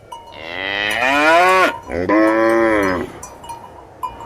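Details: Cow giving two long, loud moos back to back, the first rising then sweeping down, the second steadier and falling at its end; a faint steady ringing tone sits underneath.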